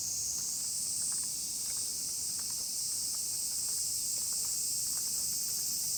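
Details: Chorus of numerous cicadas heard on a dog walk, a constant piercing high-pitched hiss with no pauses, while soft scattered clicks and footfalls sound in the background.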